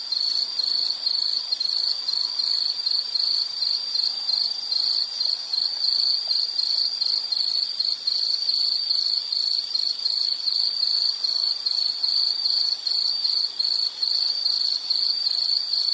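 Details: Steady high insect trilling, rapid evenly pulsed chirps merging into a constant shrill chorus, no other animals or voices clear.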